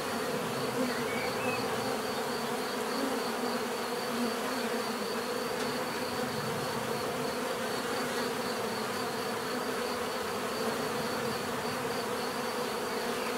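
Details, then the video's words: Continuous hum of many bees at work, even and dense, a droning buzz with a faint shimmering high note running through it and no pauses. "bees therapy relaxing natural buzzing sound"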